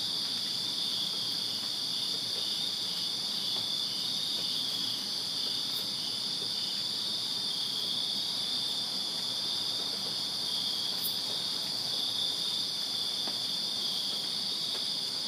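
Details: Summer night backyard chorus of crickets in Virginia: an unbroken shrill buzzing trill, layered high bands holding steady loudness for the whole stretch, with two brief sharp ticks above.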